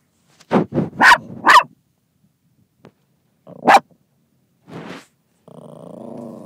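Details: Dog in a car barking at another dog in a passing car; a rapid cluster of three harsh barks, a lone bark, a softer huff, then a low rumbling growl at the end.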